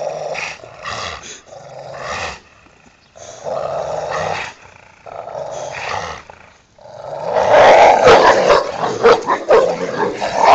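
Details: Pair of Rottweilers tussling over a toy in a back yard, growling in rhythmic, rasping pulses, then breaking into louder, harsher snarls and mixed growl-barks as the play intensifies.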